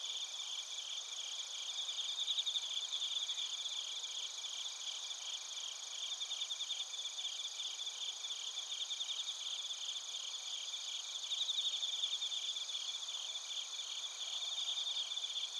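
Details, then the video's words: Suzumushi bell crickets and other crickets sing together in Narita, Chiba, Japan, via a TASCAM Portacapture X8 recorder: an unbroken shrill, shimmering chorus with irregular pulsing trills rising and falling in loudness throughout. "スズムシとコオロギの鳴き声 - Chirping of crickets"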